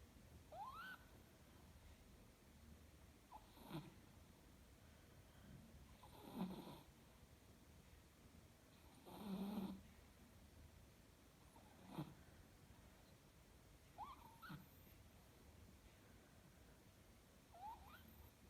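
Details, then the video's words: Sleeping Chihuahua snoring quietly: soft breathy snorts roughly every three seconds, some with low rasping rumbles, alternating with brief rising squeaky nasal whistles between breaths; otherwise a calm, quiet background. "chihuahua sleeping 😽 чихуахуа спит 🛏 смотреть со звуком!"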